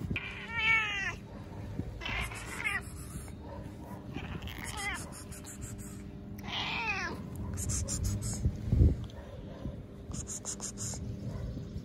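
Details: Stray cats, very hungry, meowing all the time. Four or five bending, plaintive meows spaced a couple of seconds apart, over a steady low hum and scattered rustling noise.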